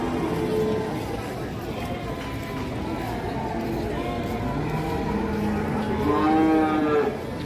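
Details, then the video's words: A cattle calf on the rampage gives a short, rising then falling moo toward the end, set against continuous background music and a busy, noisy backdrop. "SAPI PEDET NGAMUK KETEKAK GULUNE"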